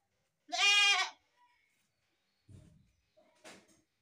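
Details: A single loud, wavering goat bleat lasting about half a second, followed by a low thump and a brief rustle.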